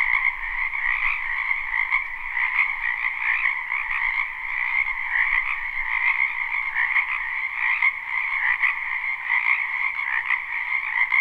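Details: Live recording of a spring frog chorus in a wetland behind a home; overlapping croaks and trills pulse about every second or two within a continuous dense wall of calling.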